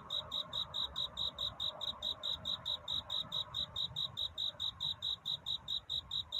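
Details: Cricket singing a courtship song to find love on a night leading into dawn: clear, high-pitched chirps repeated at a steady rate of about two per second, with a faint hiss underneath.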